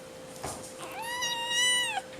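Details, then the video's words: Madeline Rose, a 5-week-old Seal Point Himalayan kitten, hungry while chewing her softened food, cries one long loud meow, strongly harmonic and gently arching, lasting about a second, over a steady background hum. "The Screaming and Very Spoiled Kitten Named Madeline Rose"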